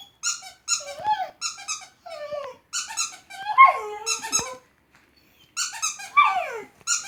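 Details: A dog that dislikes the squeaking sound gives sliding, whiny yelps over repeated high, squeaky bursts, probably from a squeak toy.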